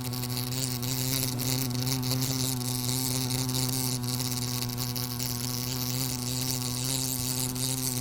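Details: Wasp buzzing steadily for the whole stretch, a loud low droning hum with rich overtones that holds its pitch and never drops out.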